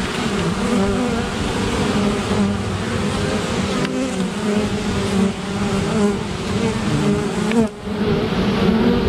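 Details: Honey bees defending against a great black wasp at an apiary, a dense continuous swarm buzz with wavering hum bands around the low-mid range, briefly dipping near the end.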